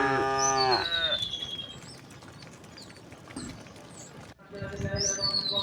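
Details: Herd of thousands of tame cows and oxen walking leisurely along a road toward their resting place under open sky; a long harmonic moo opens, then quieter background with bird chirps and a second moo rising near the end.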